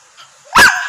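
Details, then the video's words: Angry Berger Picard, a rare dog breed, giving one short, sharp, harsh bark that bursts in suddenly after near silence and cuts off quickly. "Berger Picard Angry"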